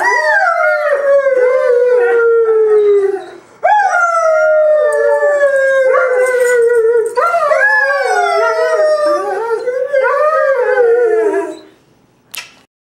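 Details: Singing Greyhound giving a run of sustained howls, each starting high and sagging slowly downward, with wavering breaks between notes, ending in a short fading cry.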